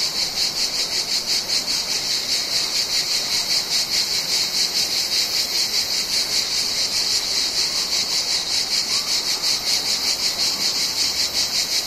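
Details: Mediterranean cicada chorus in summer, loud and piercing, its buzz swelling and fading about two and a half times per second for the whole stretch, around thirty pulses, with nothing else clearly heard.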